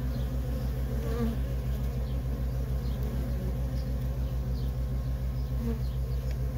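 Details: Feral colony of honey bees with workers streaming in and out, giving an unbroken low pulsing hum and a couple of brief nearer buzzes of single bees.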